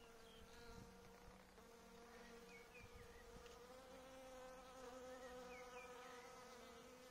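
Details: Caffeine-fed honey bees buzzing at an apiary; a sustained, rich hum with stacked overtones, rising slightly in loudness, while small birds give short high chirps in the background.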